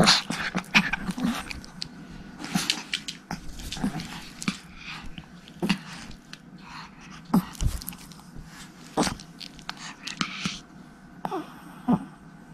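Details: Tiny Pomeranian puppies, three sisters named Erika, Haengun and Sarang, romping around a room. High whiny yelps and brief squeaky whimpers repeat every second or two, with clattering and rustling from their play.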